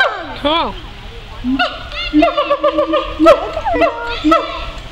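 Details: Siamangs chattering at the Phoenix Zoo: a swooping descending cry, then a short low boom and a series of quick, bright barking hoots repeated roughly twice a second, with faint background voices.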